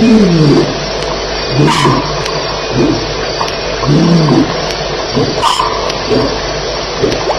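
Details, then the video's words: Lions fighting at night at Elephant Plains, 2:11am on July 9, 2010: a run of low, drawn-out moaning growls that rise and fall in pitch, coming in several bouts over steady insect chirring. "Lions Fighting - Sounds"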